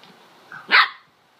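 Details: A bored female corgi playing alone in her bed gives a single sharp, short bark that rises abruptly and fades within a fraction of a second.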